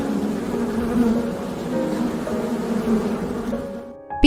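A bee drones in flight with a low, humming buzz that swells and wavers slightly but never stops. Just at the end, a sharp, brighter sound cuts in.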